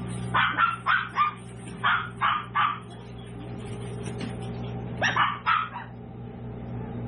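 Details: Excited bursts of rapid high-pitched yapping from seven-week-old toy poodle puppies at a home-based breeder, three or four barks per burst in three bursts, over a low continuous hum.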